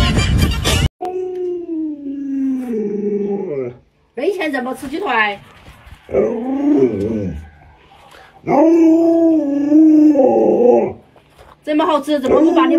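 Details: Luoluo, a household Alaskan Malamute, 'talking' to get a sleeping owner out of bed: a series of long, sliding, yodel-like howls, some falling in pitch, separated by brief silences, with a person's voice at the start and end.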